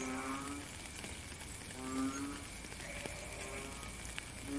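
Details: Rain falls steadily while frogs repeat short, low, mooing calls, a few seconds apart and partly overlapping, with one voice slightly louder than the rest and soft drip sounds scattered between.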